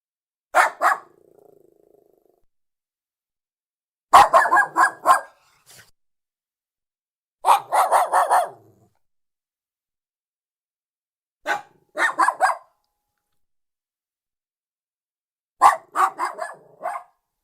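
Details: Lhasa Apso dog barking in five short bursts, each a quick run of three to five sharp barks, with a few seconds of silence between bursts and a faint low growl trailing the first burst.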